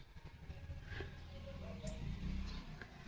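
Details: Low rumbling engine noise with faint indistinct sounds and a sharp knock at the end; no animal call.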